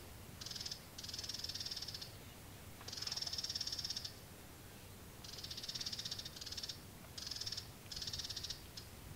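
A California ground squirrel gives high, rapid buzzy chattering bursts, each about a second long, in quick series.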